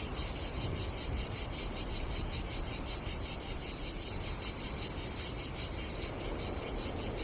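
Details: Summer cicadas at a Croatian seaside campsite on the Adriatic, droning in a dense, throbbing high-pitched buzz with fast regular pulses, backed by a deep wash of wind and surf noise.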